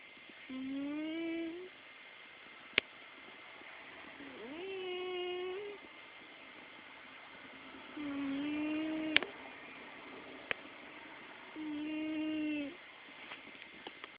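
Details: Domestic cat named Hope snoring indoors: four drawn-out, tonal, nasal breaths, each lasting one to one and a half seconds and spaced about three and a half seconds apart, with a faint steady high whine and a few sharp clicks.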